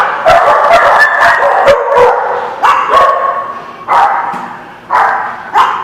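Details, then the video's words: Dogs barking on 19 August 2016, sharp loud barks with a harsh, noisy tone, coming in bursts roughly once a second, sometimes overlapping in quick doubles, with short pauses between volleys. "The Barking Lot"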